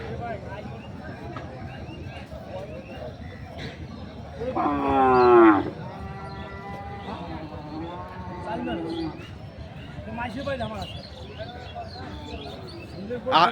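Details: Deshi-breed milk cow among cows with calves at the Ranibandar market in Dinajpur on 30 May 2024: a single strong, harmonic-rich bellow lasting about a second midway, surrounded by men talking and general market noise.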